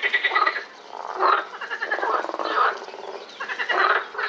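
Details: Chorus of frogs at Lausanne's Botanical Garden, recorded 20 April 2018, with bursts of raspy, quickly pulsed croaks rising and falling roughly every second as multiple callers overlap.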